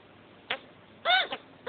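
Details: Pet male chinchilla that has just mated, giving post-mating hiccups: a faint click, then two short, bright, arched chirps about half a second apart in a quiet room.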